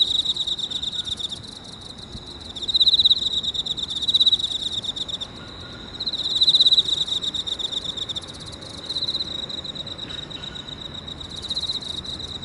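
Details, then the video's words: Early in the morning of 30 August 2018 at 6:54, in a park, an Emma field cricket sings from inside a hole in clear, high, pulsing chirps in short bursts every couple of seconds. "早朝の公園の穴の中で鳴いているエンマコオロギ"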